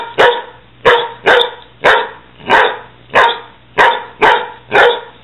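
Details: Dogs playing roughly, a six-month-old Weimaraner and a six-year-old Catahoula: loud, sharp barks repeated about every half second, eight in five seconds, with no other sounds between them.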